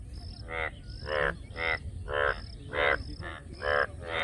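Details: A frog repeats short, raspy, pulsed croaks roughly twice a second, each note buzzy and nasal with clear gaps between. A faint high whine runs in the background.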